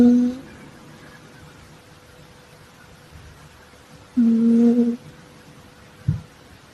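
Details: Sleeping female calico Exotic Shorthair cat snoring indoors: steady low droning tones, each about three-quarters of a second long, recurring roughly every four seconds, with quiet room hiss in between and a brief soft thump near the end.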